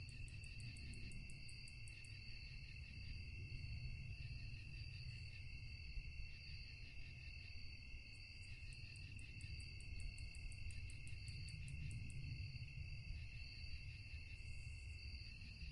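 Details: Night chorus of crickets, a continuous shrill ringing trill layered at several pitches, broken by bursts of quick, very high clicking pulses around the start, middle and end, above constant low-pitched background hum.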